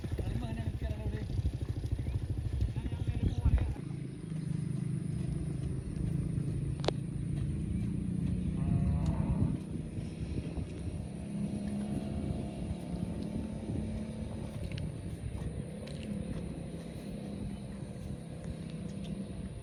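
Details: Cow grazing in a field gives a long, low, steady droning moo lasting several seconds, with a short break partway through, over constant engine rumble and wind noise.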